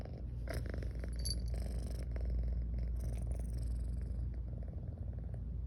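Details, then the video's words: Female domestic cat dozing and purring: a dense, rumbling low purr pulses evenly throughout, with a few brief clicks and light rubbing noises from close contact. "SLEEPY & PURR: Garfy keeps yawning & purring"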